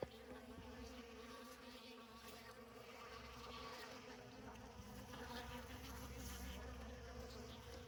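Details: Honey bees at an open winter feeding station in December, about 150 feet from the hive, feeding on leftover honey and comb in a tote with oak leaves; steady low droning buzz of many bees throughout, with faint higher hum.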